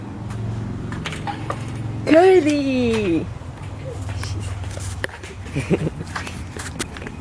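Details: Guniepig the dog howling indoors: one loud, wavering harmonic wail lasting about a second, bending slightly up and then sliding down before cutting off, with quiet talking and household noise around it.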